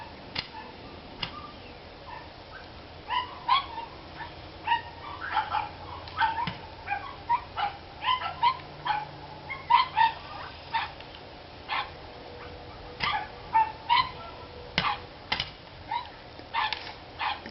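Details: Several dogs barking near a mobile home on 29 March 2013, with a car passing nearby. Rapid yappy barks repeat irregularly, often several per second, in bursts across the whole stretch, over steady outdoor hiss.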